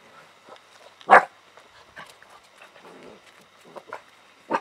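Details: Alaskan Malamute puppies play with a cat: one gives a sharp, loud bark, followed by softer yips and scuffling.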